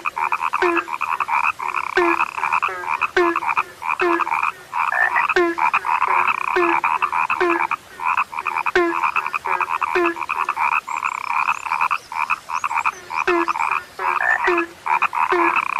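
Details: Frogs described as now rare, croaking in dense overlapping bursts: pulsed, nasal calls stacked one on another with short pauses roughly every half second, plus sharp clicks and a low tone closing many calls.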